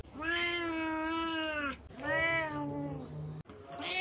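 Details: Domestic cat, a medium-sized male, giving two long drawn-out meows of about 1.5 seconds each, steady and slightly arching in pitch, rich and harmonic, with a brief third call starting at the end.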